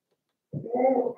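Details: Seven-week-old Cavalier King Charles Spaniel puppies from Daisy's litter in an indoor home puppy pen; after half a second of silence, one short tonal whimper starts suddenly and holds a steady, slightly wavering pitch for under a second.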